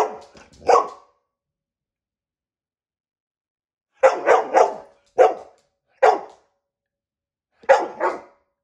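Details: Dog barking, described as very annoying: a short burst of barks, a long pause, then five sharp barks spaced about a second apart, with a brief human voice at the start.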